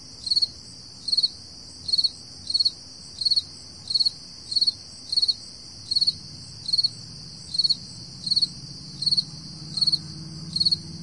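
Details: Summer crickets recorded at 4 AM in July 2012: regular high chirps, each a tight burst of pulses, spaced roughly 0.75 seconds apart against a continuous shrill insect hum and faint low rumble.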